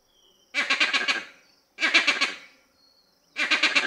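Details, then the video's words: Loud, reverberant vervet monkey calls, three rasping, pulsed bursts of roughly 0.7 seconds each, rich in overtones, separated by short quiet gaps with a soft echo trailing each burst. "Loud, Reverberant Calls from Vervet Monkey"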